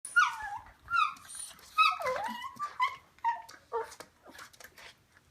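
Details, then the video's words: Morkie making funny vocal noises while wrestling with a Schnauzer indoors; squeaky, whining yelps and grumbles in quick irregular bursts, pitch sliding up and down, with brief scuffling between them. "Morkie Making Funny Noise"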